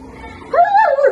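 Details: German Shepherd puppy aged 70 days giving a single loud tonal whine that rises, wavers and falls over about half a second, after a quiet start with low background hum.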